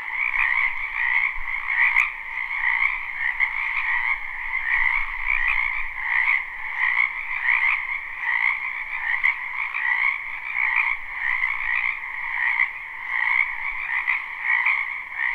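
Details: Numerous frogs in a wetland during spring, recorded live: an unbroken trilling chorus with gentle pulses that rise and fall roughly every second, plus faint low rumble in the middle.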